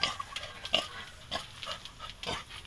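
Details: Young wild boar piglets kept and raised in captivity in the Philippines, giving short bright squeals and grunts in a series of separate bursts about every half second, with faint background hiss.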